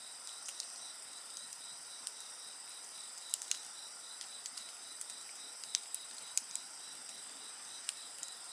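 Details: Shrill overlapping insect song runs unbroken, with a fine rapid pulsing in the lower band, as a bonfire snaps and crackles repeatedly throughout.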